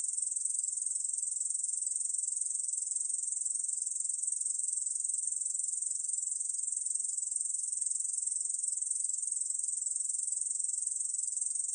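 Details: Korean bush cricket, recorded by the National Institute of Biological Resources in 2020, singing a sustained sizzling high-pitched buzz of constant intensity from start to end, nothing else audible.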